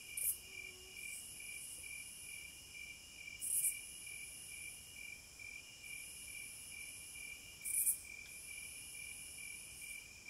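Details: Cicadas in a wilderness setting: a steady, shrill high drone with louder swelling bursts about every four seconds, over a lower, rapid pulsed chirping that repeats evenly throughout; no other animals or people.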